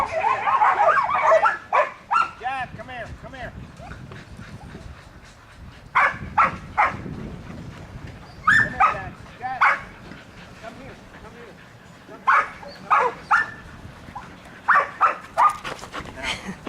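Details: Young Border Collie Bruiser, 8 months old, learning to work cattle in a pen at Atoka, Oklahoma: scattered sharp barks in clusters, mixed with people talking.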